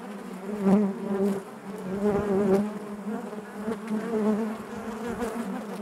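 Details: Honey bees humming inside their hive, a steady layered drone with surges in volume roughly every couple of seconds as bees move near.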